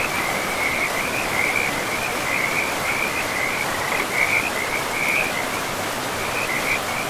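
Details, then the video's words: Frogs by a river in a pristine forest call in a continuous, pulsing chorus of trilled notes in a narrow high band, rising and falling in strength over a steady rushing of river water. "River and Frogs sleep sounds"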